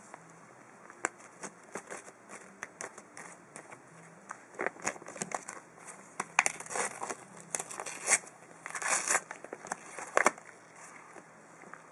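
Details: Paper crinkles and tears in bursts in a small indoor room, with no animal voice heard.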